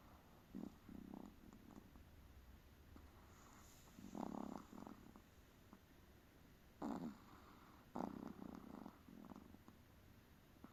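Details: Tired pet Chihuahua dog snoring, with throaty rattling breaths in uneven groups of two or three, each a brief buzzy rumble, interrupted by sharper snorts and quiet gaps in a still indoor room.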